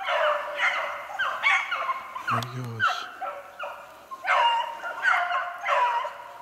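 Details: Beagles in full cry after a snowshoe hare, 3/8/16. Repeated ringing bays come in bursts with a brief pause midway, where a short low human voice cuts in, then the chorus resumes.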